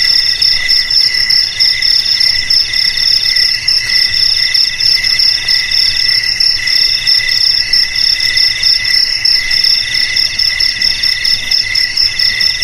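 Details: Continuous high cricket trilling, presented as a rat repellent for houses and paddy fields, layered tones holding steady while the lowest band pulses roughly every second, over a faint hiss.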